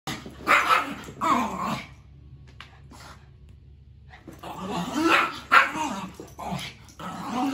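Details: Two brother dogs, Snowball the Maltese and Jackson the Shoodle, play fighting: short high yappy barks and whiny vocal bursts in two bouts, with a quiet pause in between.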